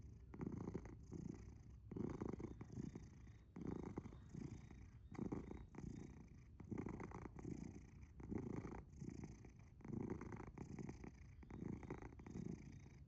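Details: Asher, a domestic cat, sleeping soundly indoors and purring very loudly: deep, rumbling breaths pulse in steady waves about every one and a half seconds, each swelling then fading, with no other sounds around.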